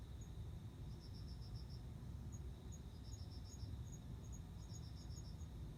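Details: Male cricket singing to court a female, who answers by mating. Short high chirps of about five quick pulses each, in bursts separated by pauses. A finer high ticking insect runs alongside, over a steady low rumble.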